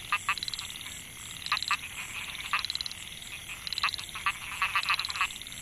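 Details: Narrow-mouthed frogs (Microhyla pulchra) in a rice field at Mae Hia, Chiang Mai, Thailand, in 2014, males calling to draw females. Bursts of short buzzy pulsed croaks in clusters of two to four, backed by a steady high insect drone.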